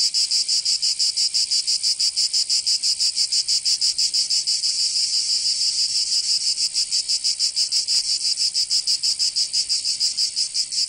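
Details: Chorus of cicadas on a summer day in Provence, France, a shrill metallic whirr pulsing rapidly and regularly, briefly softer midway, with a single faint tap heard near eight seconds.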